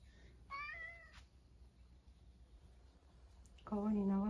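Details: Rescued male domestic cat, born around spring 2019, at home in Higashiomi, Shiga, Japan, in spring, answering with a meow when called by name. It gives one drawn-out harmonic meow, then a person's voice follows after a pause.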